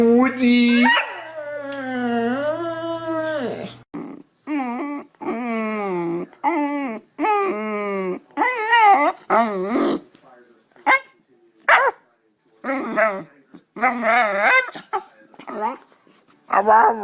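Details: Pet dog making funny noises: a long opening howl, then a chattering run of short, wobbling, yodel-like howls and yips repeated roughly every second with brief silences between.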